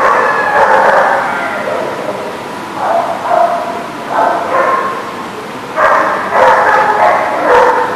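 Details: Chorus of dogs barking on September 21, 2019: steady overlapping barks at first, then a short lull before the barks return in clusters, ending in a loud, busy stretch of many voices.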